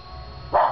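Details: Keane the dog barking at the TV indoors: a single short, sharp bark with a sudden loud onset that fades quickly, over a steady low hum of television sound.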